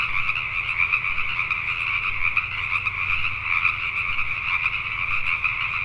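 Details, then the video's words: Pacific tree frogs at night in Richmond, British Columbia, Canada: numerous frogs croaking together in a thick, steady chorus, individual calls blurring into a throbbing high buzz, with a quiet low rumble below. "Pacific Tree Frogs at Night"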